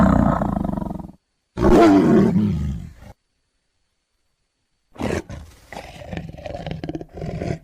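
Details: Tiger roaring in abrupt bursts: a deep rumbling roar for about a second, then a louder raspy roar after a short gap. Silence follows, then harsher, noisier growling sounds close the clip.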